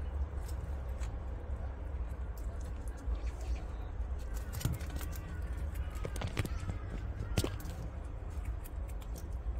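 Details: Pet prairie dog tearing and munching grass: scattered sharp crunchy clicks, loudest in a cluster midway and near the end, over a steady low rumble of background noise.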